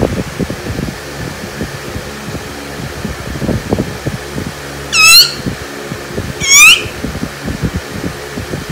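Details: Pet dog Laalaa squeaking in reaction to being teased: two short, high, wavering squeaks about a second and a half apart, over quiet indoor background noise.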